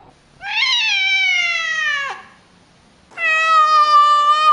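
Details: Two clear, tonal meows from a domestic cat, the first sliding gently downward and ending abruptly, the second held level and bright after a pause of about a second.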